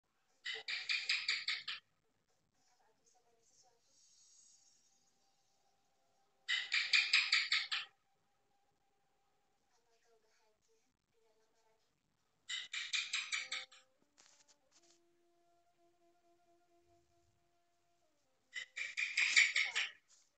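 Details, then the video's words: House gecko (cicak) calling on a wall: four bursts of rapid, sharp chirping clicks, each series lasting about a second and a half, repeated roughly every six seconds, with silence and faint background tones between. "SUARA CICAK DIDINDING"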